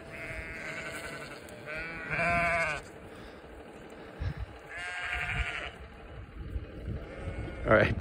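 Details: Several bleats from sheep in Vermont following a walking person, coming in bursts of about a second with short gaps; a person's voice and footstep-like rustling are heard between calls.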